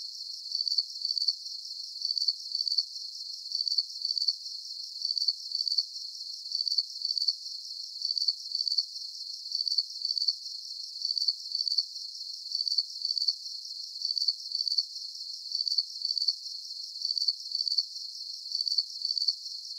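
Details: Steady cricket chirping meant as a sleep soundscape: thin, high pulsed bursts repeating evenly about every three quarters of a second throughout, unbroken and free of other sounds.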